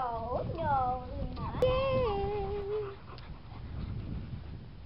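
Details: Seven-week-old Boxer puppies give a few high, drawn-out whines that slide downward, followed by one longer wavering whimper, while a person talks in the background.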